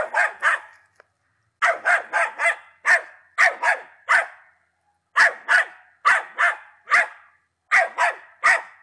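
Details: Patterdale Terrier, ten months old, barking in clusters of two to four sharp yapping barks with short gaps between clusters.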